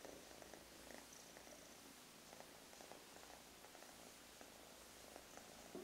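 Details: Russian Blue mix kitten purring, a lighter gray solid male from a litter of three affectionate kittens; a low, steady rumble pulsing with inhales and exhales, plus a brief squeak near the end.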